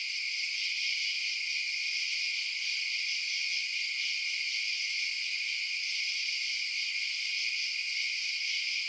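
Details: Crickets chirping at night in a dense, unbroken chorus: a shrill, high-pitched shimmer holding steady throughout, with no low sounds and no other animals or voices.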